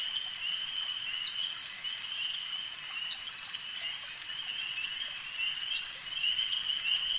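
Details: Frogs calling at a lake, a dense unbroken chorus of high, shrill trilling that holds one steady pitch throughout, with faint scattered ticks and drips above it and no pauses.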